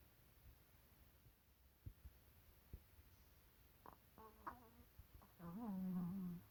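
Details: A napping Maltese dog snoring indoors: faint low rumbling breaths and soft clicks at first, then a louder nasal, buzzy snore with a slight rising and falling pitch filling the final second and a half of a quiet room.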